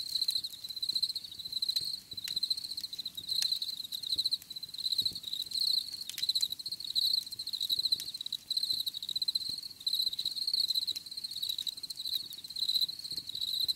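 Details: Continuous cricket song outdoors, a high shrill pulsing trill that barely pauses, with overlapping callers and scattered faint taps beneath the chorus.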